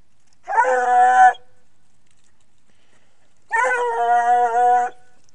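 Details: Young female Ariégeois hound puppy trailing a hare, giving two drawn-out, ringing bays with a rich harmonic, slightly wavering tone, each lasting under a second and separated by about two seconds of quiet.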